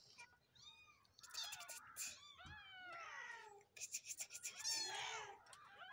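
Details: Kittens meowing in a rapid, overlapping series of high, rising-and-falling mews, some drawn out and wavering, with brief pauses between bursts.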